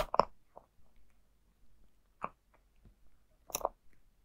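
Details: Dry food being eaten by Zayka the cat: a loud opening crunch, then a few separate bites every second or so, ending with a strong double crunch.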